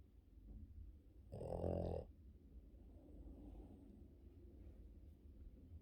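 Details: Yoda, a Boston Terrier, gives one loud, rasping snore during his morning sleep, a rattling burst lasting under a second.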